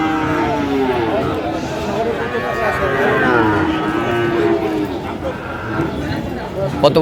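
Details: Sahiwal bull calves being bought and sold at Ambari cattle market in Dinajpur, Bangladesh, on the first day of Ramadan 2025; drawn-out harmonic moos rise and fall over steady crowd chatter and bargaining voices.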